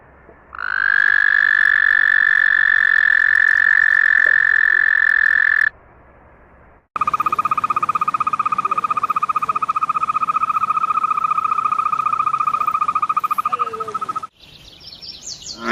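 A frog gives long, steady, high trills, then a rapid pulsed trill on a lower pitch.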